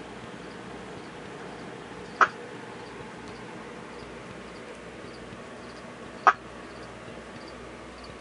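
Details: A captive male ruby-eyed tree frog gives its quiet mating call at night with lights out, two short, sharp clicks a few seconds apart over a quiet hiss.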